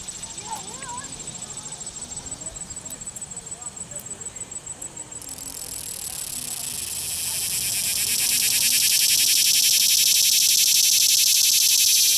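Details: Captured cicada at Longwood Gardens, Pennsylvania, clamping its wings and rubbing the right wing against the ridged left wing by wagging its tail. A faint, regular high ticking chorus gives way after five seconds to a loud, dense, fuzzy buzz that swells and holds steady.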